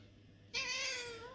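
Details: Indoor pet cat, very hungry after its owners stayed away for hours, lets out a single strong, bright meow that starts abruptly and slides gently downward, with speech just before and after.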